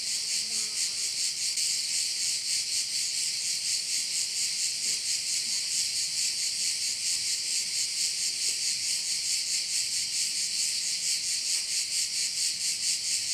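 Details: Dense cricket chorus from a bay in Korčula, high and rasping, rhythmically pulsing around two times per second; faint low murmurs sit underneath at the very start.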